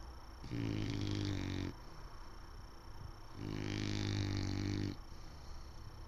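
An English Bulldog snores with two long, deep, rattling breaths a few seconds apart.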